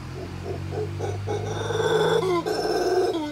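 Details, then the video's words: Howler monkeys at Tamarindo, howling while eating; short grunting pulses build into a loud, drawn-out roaring howl with rich harmonics that swells, breaks briefly, then resumes. "Howler monkeys howling and eating"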